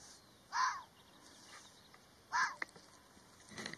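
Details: A red fox gives short, harsh, hoarse barks spaced nearly two seconds apart.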